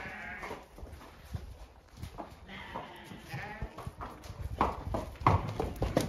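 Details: Several ewes on an Irish farm in County Kilkenny call with overlapping quavering bleats, roughly one every second or so, while being turned out to the field; hoof and gate clatter run underneath.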